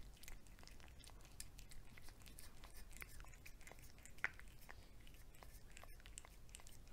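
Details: Domestic cat eating wet cat food, heard as quiet, irregular wet clicks, smacks and soft chewing bursts over a low, steady rumble, with one sharper tap near the end.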